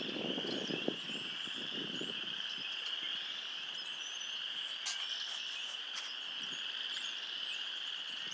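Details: A dense spring chorus of frogs just out of hibernation on a cold 34°F day, a steady high-pitched trilling that runs without pause.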